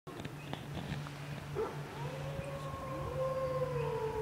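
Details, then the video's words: Wolves at the bottom of Grouse Mountain, set howling by a car alarm: a long smooth howl rises and then holds steady, with an overtone above it, over a constant low hum and scattered clicks. "Wolves howling at bottom of grouse mountain"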